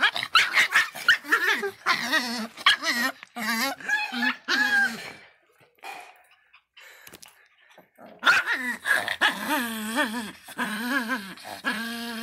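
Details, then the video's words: A Miniature Pinscher named Faisca barks fiercely in clustered bursts of quavering, high yaps for about five seconds, falls nearly silent for three, then resumes with a string of wobbling, drawn-out barks. "latidos de pinscher miniatura bravinho (faisca)"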